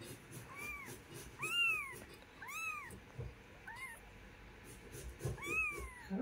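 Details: Mother cat with her kitten, domestic; a run of five high, arched meows, each rising then falling, spaced about one second apart, with a faint background hiss.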